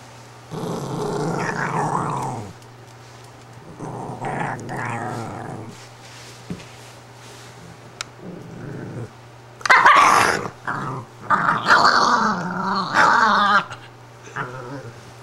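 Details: Patsy, a female Italian greyhound, upset at being taken out of her bed: harmonic growling grumbles in bursts of two to three seconds, with sharper louder yips and whines toward the end, separated by short pauses.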